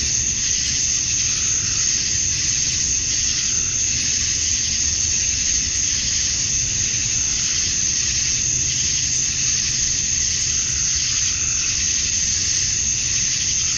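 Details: Cicadas on a Georgia, USA summer evening at dusk, males chirping to attract females: a thick, sustained high-pitched wash of sound with slow, mild surges and a steady low rumble beneath.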